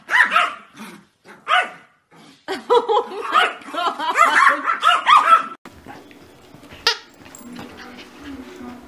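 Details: Small pet dog, a Yorkshire Terrier, letting out a few single barks followed by a rapid tumbling string of high yips, which stop abruptly and give way to low background noise and scattered clatter.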